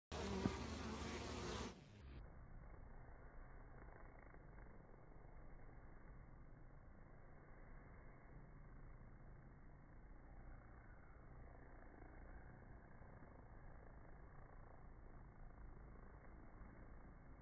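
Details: Several bees landing and departing in slow motion; a brief loud burst, then a steady low droning buzz with a faint hum line runs on evenly, muffled and fairly quiet throughout.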